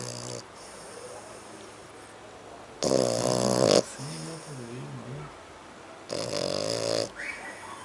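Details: Sleeping dog, a French Bulldog or a Pug, snoring. Loud, raspy snores about a second long come roughly every three seconds. A soft wavering nasal whistle sounds between two of them.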